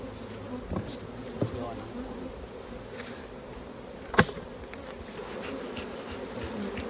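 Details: Many honey bees humming at their hive while raw honey is harvested. A continuous, even buzz is broken by a few soft taps and one sharp click near the fourth second.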